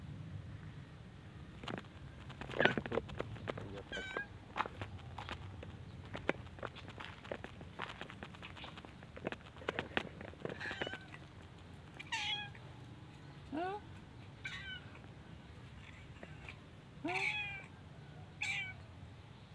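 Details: Mother cats and kittens living at a pagoda meow while asking for food, with several rising, harmonic meows scattered through the clip, strongest near the end, over frequent clicks, taps and footstep-like knocks.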